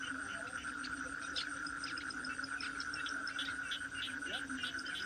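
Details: Toad calling within a dense, steady chorus: a continuous mid-pitched droning tone and a fainter lower hum run throughout, overlaid by short scattered higher chirps.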